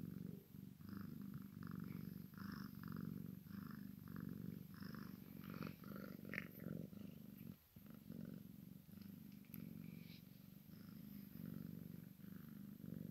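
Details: A Maine Coon x Sphynx kitten with its mother purrs in a low continuous rumble pulsing on each breath, a brief pause near the middle, faint rustles throughout.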